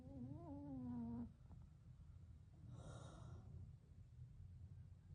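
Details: A puppy among three sleeping toy poodle and bichon frise pups snores with one drawn-out, whistling, slightly rising tone, followed by a soft airy breath and low background rumble.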